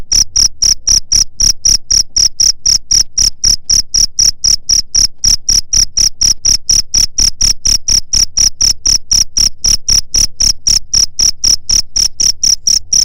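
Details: Steady cricket chirping used to scare off rats, a long unbroken run of short, piercing high pulses at about four per second, loud and regular throughout.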